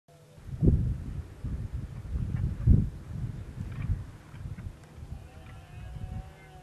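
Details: Red deer stags roar and fight during the rut: deep, guttural roars with heavy grunting bursts about two seconds apart.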